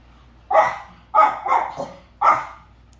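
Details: Two pet dogs, Link the Corgi and his friend Dietz, wrestling in play indoors on day four of a two-week stay: four sharp barks within two seconds, the middle pair close together, over a quiet room background.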